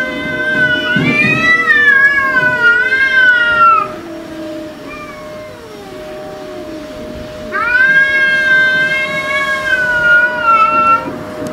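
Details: House cats confronting an intruder cat: two long loud wailing yowls, each sliding and wavering for about four seconds, separated by a quieter pause with a faint continuous tone in the background.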